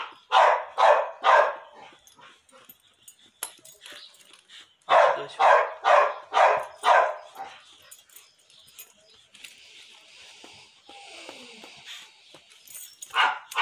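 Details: Barking from a female pit bull in her second heat that has just mated. A burst of three rough barks, then a run of five, a stretch of hissing noise, and one final bark.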